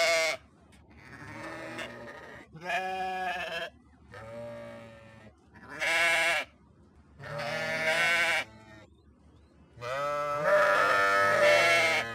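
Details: Sheep giving a series of loud, shaky baas, about seven calls across twelve seconds, some brief and others drawn out and trembling, separated by quiet pauses.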